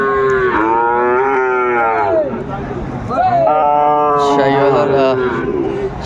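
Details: Loud lowing from Sahiwal cattle at a Bangladeshi cattle market in Kurigram during winter, 31 December 2024. Two long harmonic moos, each wavering then falling at the end, with crowd chatter beneath.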